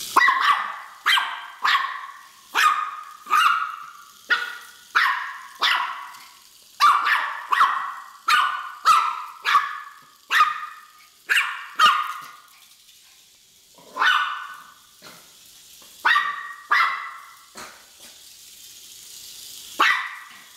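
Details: A Miniature Pinscher, Gina, gives sharp, high barks in quick succession, with a brief pause partway through, while chasing a Hexbug Scarab toy she seems to treat as an intruder.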